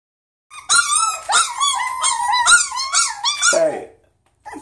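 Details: Miniature Schnauzer, poodle and Chihuahua mix puppies crying together: high, wavering whines and yips in overlapping bursts, rising and falling, ending abruptly with a short silence and one more cry.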